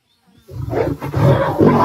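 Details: Lions fighting in the wild as a lioness attacks a male mating with another lioness; after a brief quiet start, a deep, harsh, rumbling roar-growl builds and holds, rough and harmonic-rich throughout.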